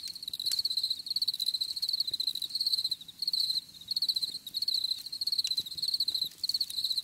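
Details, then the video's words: Short bursts of high, ringing cricket chirps repeated in quick succession with small gaps, plus a few faint clicks. "Bruit de Grillons Pour la Relaxation Anti Stress"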